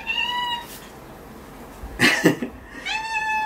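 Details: Indoor household cat, addressed as Luni while waiting for a claw trim, meows twice: a short clear cry at the start and another near the end, with handling clatter and rustling between them.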